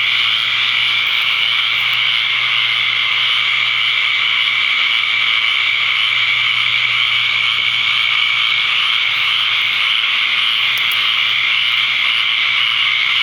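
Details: Dense chorus of tree frogs gathered at a pond to mate on the evening after the season's first torrential rainstorm, Ocala, Florida, May 6, 2010; a continuous deafening high buzzing drone with no pauses throughout.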